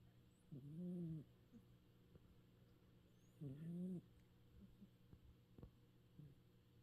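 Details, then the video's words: Domestic cat snoring while asleep, twitching its whiskers: two low, droning rasping breaths about two and a half seconds apart, each lasting about half a second, with faint clicks between them. "Kitty snores and whisker twitches"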